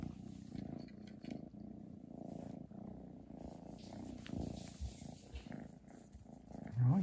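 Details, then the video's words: Chi the house cat purrs with a Christmas present, a deep, loud, continuous rumble pulsing with breathing, ending in a short rising sound at the close. "turn up volume for purring"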